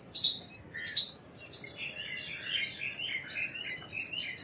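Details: Indian palm squirrel calling with a few loud, shrill chirps, irregularly spaced, over busy twittering and warbling from other birds that fills much of the background.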